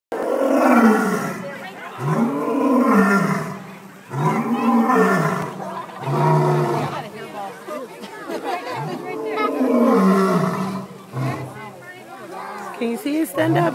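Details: Lion at Brookfield Zoo, roaring repeatedly through the day: a series of deep, grunting roars, each one rising then falling, coming roughly every two seconds with short gaps, while visitors talk nearby.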